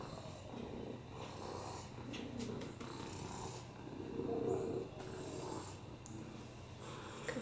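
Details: Purring from Oliver, a rescue cat with a broken hip and FIV, resting on a lap indoors; a continuous low vibrating rumble, fairly quiet, with faint breathy swells and small rustles.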